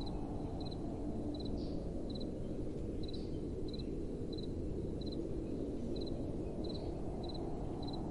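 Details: Crickets on a windy night chirp in brief high pulse groups every half second or so, partly masked by a broad, steady wind rush.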